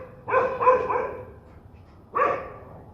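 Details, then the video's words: Angry dog giving a short run of three harsh barks, a pause of about a second, then one more loud bark, against a quiet noisy background. "صوت نباح الكلاب الشرسة"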